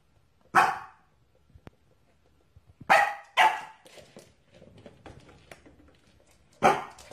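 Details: Corgi dog barking: four loud, sharp barks spaced a couple of seconds apart, two close together in the middle, with quiet indoor rustling between them.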